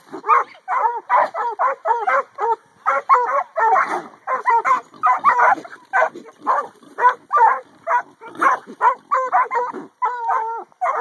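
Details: Two 8-month-old pups, a McHugh line Catahoula and a black and tan coonhound, penned on an afternoon while harassing pigs: rapid, continuous run of harmonic barks and bays, some with drawn-out tones, over eleven seconds.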